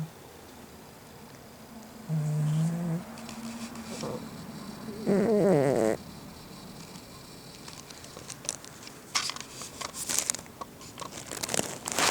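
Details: Gin, a pet cat, snoring indoors with an unusually loud snore; two low, voiced, droning breaths with stacked harmonics, the second stronger and rising, followed by scattered clicks, taps and rustling.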